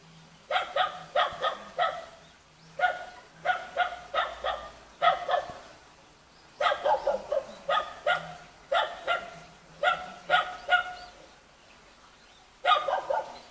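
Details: A Jindo puppy in a mountain village near Jeonju, Korea, gives high, shrill yips in quick bursts of three to five.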